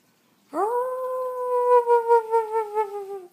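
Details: Pet dogs belonging to a family, crying in a long steady howl that starts with a sharp rise, holds level and then breaks into a wavering, pulsing ending before fading out.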